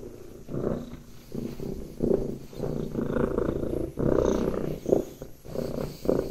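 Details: Lap cat resting on a person's lap, purring in a low, rumbling drone that swells and fades in uneven pulses of roughly half a second to a second, with brief softer gaps between them.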